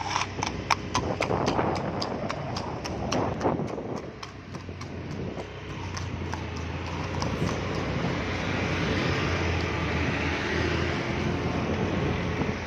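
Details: Fast horse on a road: crisp, rapid clip-clop hoof strikes for the first few seconds, then fading beneath a broad, rushing traffic-like noise that fills the rest.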